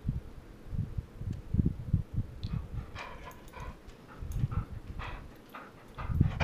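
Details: Female golden retriever arguing over bedtime, wanting to go back to her chickens. She gives soft, high whimpers and short whiny yips in the second half, over a low rumbling handling noise.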